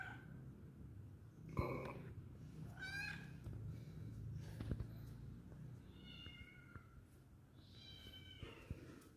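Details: Lonely kitten indoors at home, looking for company, makes soft, short meows scattered across a low, rumbling background hum, with a thump early on.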